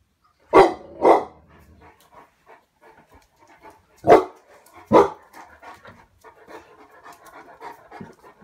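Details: Cane Corso giving deep, booming barks in two pairs, one pair near the start and another about three seconds later, with soft shuffling and panting sounds between them.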